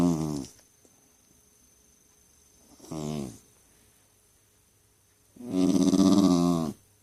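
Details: Jack Russell Terrier kept as a family pet, grumbling and complaining: two brief low growly moans followed after a pause by a longer, louder, rough grumble with a nasal, snoring-like texture.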